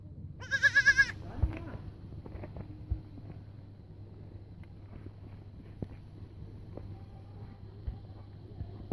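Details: Young goat kid giving a single short, quavering, nasal bleat near the start. Afterwards there is only a low steady hum and faint scattered knocks.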